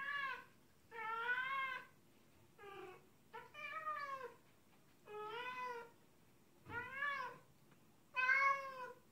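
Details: Happy meows of a pet cat, used when showing affection or playing with its guardian: seven short, bright, harmonic calls of varying length, some arching upward, others falling, with brief quiet gaps over a faint hum.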